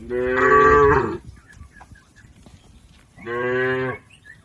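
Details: A herd of cattle crossing a river on its way to the pen. Two drawn-out, rich moos, the first about a second long and falling slightly at the end, the second shorter, with a quiet gap between them.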